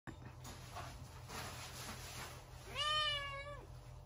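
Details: Blue point male Siamese cat born 28 May 2021, giving one clear drawn-out meow that rises then levels off, after a few seconds of indoor background noise and low hum.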